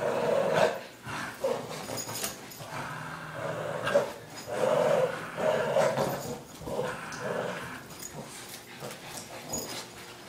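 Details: Playing tug-of-war, a six-year-old Boston Terrier from Sun Prairie, Wisconsin growls in repeated rough, rising and falling bursts roughly every second, with brief yippy accents among them.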